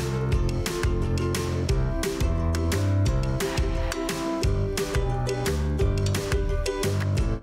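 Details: Strummed guitar music with steady rhythmic chords plays throughout, and no animal voice is heard.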